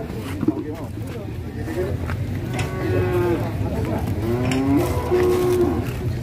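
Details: Indonesian cattle whose chest girth is being measured, said to be rampaging during ploughing. After a quieter start, two or three short, nasal lows come in the second half, set against constant low-pitched background hum.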